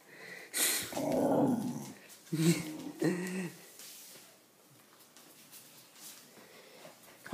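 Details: Bruce Lee, a wire-haired Terrier mix dog once rescued as a stray in 2013, growls inside a small room: a sustained rough rumble followed by two shorter growling bursts, with human voices audible nearby.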